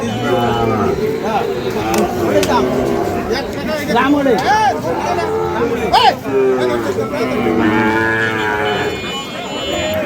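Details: Low, drawn-out lowing of Sahiwal bull calves at the busy Ambari haat in Dinajpur, Bangladesh, on 5 May 2025, where fattened cattle are bought and sold. Several moos rise and fall amid constant bargaining voices and crowd chatter.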